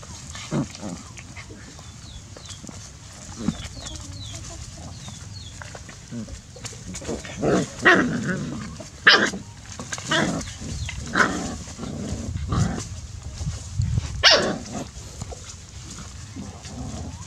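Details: Puppies play-fighting, with a run of short rough growls and yelping barks bunched in the second half, each burst brief and uneven; faint bird chirps and a low steady hum sit underneath.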